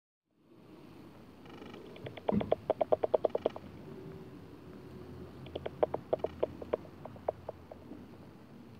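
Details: Bat echolocation picked up through a bat detector, heard as two bursts of rapid, dry ticking clicks over a steady hiss.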